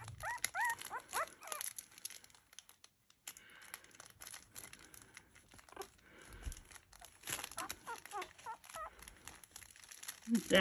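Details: Havanese puppies, known as the Ducklings, exploring a crinkle toy for the first time; a few short high whines and squeaks at the start and again near the end, among crinkling plastic, rustling and quiet moments.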